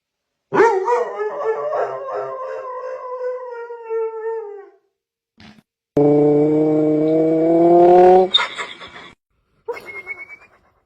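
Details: Sleeping dog dreaming and making noise: a long wavering howl-like whine, a second steady, strongly tonal howl, then a short rising whimper, with silent gaps between.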